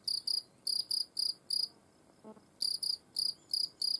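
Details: European field cricket under close observation, singing shrill, clear chirps of two or three rapid pulses each, repeated about twice a second, with a brief break mid-way marked by a soft low knock before the chirping resumes.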